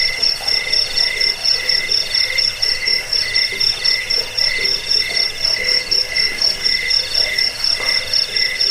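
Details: Cricket chorus offered as a sound to repel rats, aid sleep and train songbirds; dense, shrill, pulsing chirps in steady high bands, throbbing roughly twice per second without pause.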